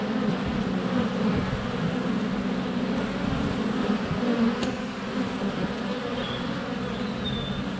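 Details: Close GoPro Hero 7 Black recording of honey bees flying at a hive entrance in sunny February: constant humming drone with shifting pitch, a sharp tap midway and brief faint high birdsong whistles near the end.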